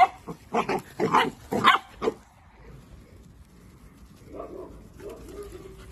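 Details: Miniature dachshund at play giving a quick burst of about five sharp, loud barks within two seconds, then falling quiet apart from a soft low whine-like sound near the end.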